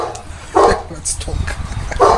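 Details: Boerboel at Delatro Boerboels, visited 30 October 2013, giving two loud, clipped barks about one and a half seconds apart while people chat in the background.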